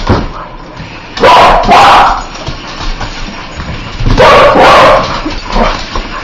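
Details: Barking from a dog that hates spiders, loud doubled bursts twice about three seconds apart, each a pair of rough barks, followed by softer yips and background rumble.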